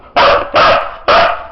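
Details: Three crisp, loud barks from Sizara, a Siberian Husky doing a counting trick on command, spaced about half a second apart after a short quiet lead-in.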